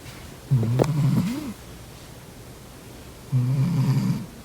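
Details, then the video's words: Domestic cat snoring in its sleep, two low, rough drawn-out snores roughly three seconds apart, the first ending in a brief wavering squeak, quiet indoor air between them. "코 골면서 자는 고양이 콧구멍 막아보기😺 코고는 고양이 Snoring cat"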